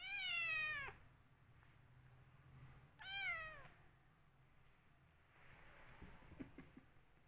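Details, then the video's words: Cat angry with its owner, uttering two long falling meows about two seconds apart, then low rustling and handling noises. "Cat fighting with owner"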